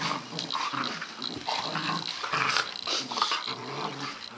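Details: Two puppies, a 2-month-old male Dalmatian and his 5-month-old German Shorthaired Pointer big sister, play fighting: dense, continuous rasping growls and snarls overlap in steady rough bursts with no pauses.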